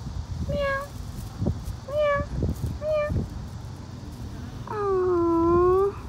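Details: Outdoor stray cats giving three short, clear meows about a second apart, then one longer, lower, wavering meow, with soft rustling and background noise between calls.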